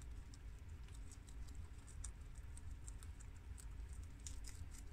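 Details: Four household guinea pigs eating freshly washed romaine lettuce produce soft, rapid crunching ticks, slightly stronger toward the end, layered over a faint continuous low hum.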